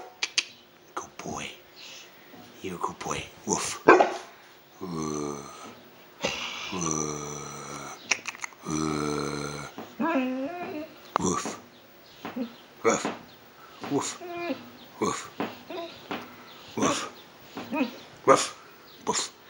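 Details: An 11-month-old male Bullmastiff puppy play-barks with deep, gruff woofs between drawn-out, moaning whines, while a person makes dog sounds to encourage him.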